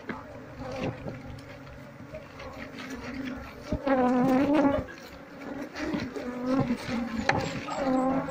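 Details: Swarm of wild Asian honey bees (Apis cerana) being cleared from their comb with a brush during a colony move and queen search; dense, steady buzzing hum that rises in loudness midway, with wavering tones layered above it.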